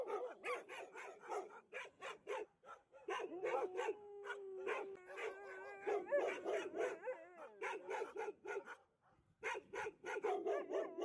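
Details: Alaskan Malamute singing to welcome a visitor at the Harbin Li Liu small animal rescue station in China, home to over 3000 stray dogs; a long, steady, wavering howl rises above a dense chorus of barking and yipping dogs.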